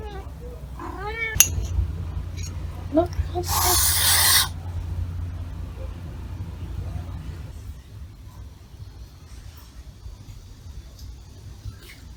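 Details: An angry kitten that suddenly turned hostile toward a person it used to approach: a few short, wavering meows, then a harsh, breathy hiss lasting about a second, followed by quiet room noise.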